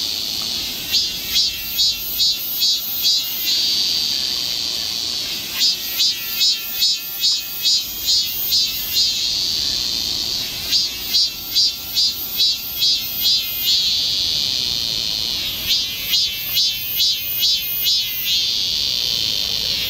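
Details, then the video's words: Cicadas singing in summer forest at Galsan Park, Yangcheon-gu, Seoul, South Korea: a steady high shrill drone with loud pulsed phrases of rapid throbbing beats, each burst lasting about three seconds and recurring roughly every five seconds. "매미울음소리. 한여름의 청량제와 같은 천사들의 찬가. 갈산공원 매미들 숲속의 합창"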